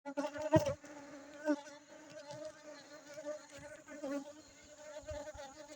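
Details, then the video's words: Honey bees from Aceh: a steady, low droning buzz with a clear harmonic hum, with several louder surges and clicks as bees pass close, the loudest near the start. "lebah madu aceh"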